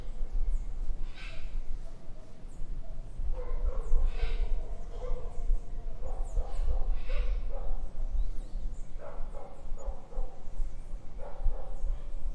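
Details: Dog barking in an urban garden in Brazil: distant, muffled barks in short bursts of two or three every couple of seconds, over a steady low rumble of traffic, with faint high bird chirps.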